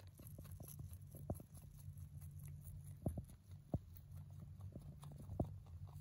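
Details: Hay being eaten by a male mini rabbit born in November 2020: quick dry crunching ticks in short bursts, with several sharper bites standing out against a constant low background hum.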